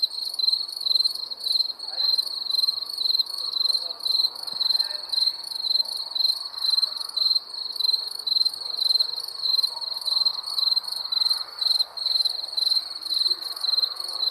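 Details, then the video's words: Wild crickets give bright, high, pulsed chirps that repeat rapidly and evenly, roughly twice per second, forming an unbroken rhythmic chorus with a quiet hiss beneath. "Wild Crickets"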